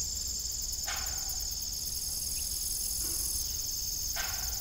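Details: ['Evening crickets on an old family farm with a rusty, broken windmill: a steady, high, shimmering trill chorus runs throughout, broken by occasional creaking clanks from the windmill.']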